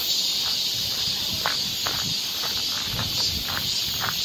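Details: Continuous shrill cicada buzz over a forest trail in summer Seoul, Korea, steady and hiss-like, with crunching footsteps on the path heard beneath it.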